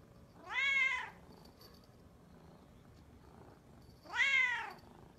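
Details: A pet cat gives two loud, drawn-out meows three and a half seconds apart. Each is a rising-then-falling wail. The indoor background is otherwise still.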